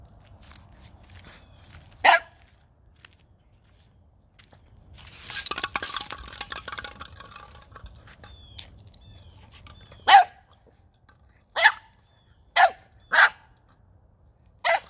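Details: Gizmo, a male Boxer puppy aged nine weeks, barks at a ball he is playing with for the first time, December 9th, 2021. A single bark, then a few seconds of scuffling noise, then a quick string of five sharp barks.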